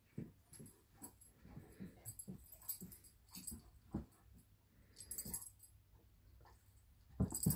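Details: Young Irish Wolfhound bugging her Lab sister in a small room: rapid wheezing huffs and short whimpery grunts, irregularly repeated, with scuffles and a sharper burst at the end.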